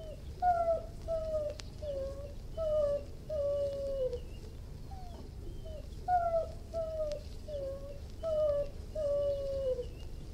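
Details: Irish Wolfhound whining in a steady series of short, thin, downward-sliding tonal whimpers, roughly one every second or two, soft against faint background hiss.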